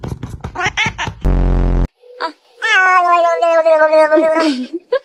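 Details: Cat giving a long, drawn-out, wavering meow that falls in pitch at the end, preceded by a short burst of speech and a loud buzzing tone.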